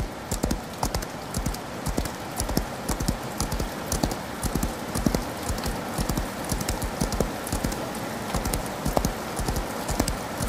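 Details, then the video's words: Horse galloping in the rain: steady, sharp clip-clop hoofbeats, about two per second, with a soft, constant hiss of rainfall behind them. "Horse Galloping In The Rain"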